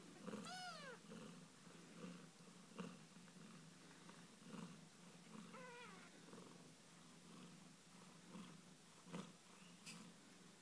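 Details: Australian Mist kittens having a cuddle with their mother: unbroken low purring runs throughout, joined by two short high mews that rise and then fall, one near the start and one midway, plus a few light taps.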